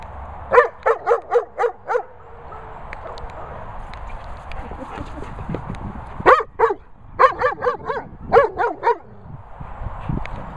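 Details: Weimaraner Bella Boo threatening Labrador Bernie over his ball: two bursts of short, harmonic, yelping moans, five quick calls, a pause of several seconds, then another rapid string of about eight.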